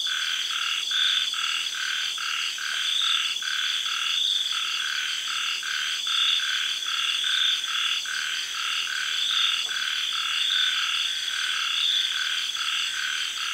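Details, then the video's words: Night frogs calling in a Thai tropical garden once the sun sets, early in the rains. Repeated short croaks come in uneven runs, layered over a continuous shrill buzzing of cicadas and other insects. "Night Sounds-Frogs and Cicadas--Tropical Garden-Thailand"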